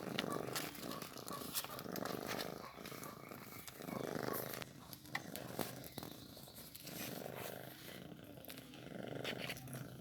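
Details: Newborn kitten being fed milk: a low, rumbling purr rising and falling in rhythmic bursts against a noisy background.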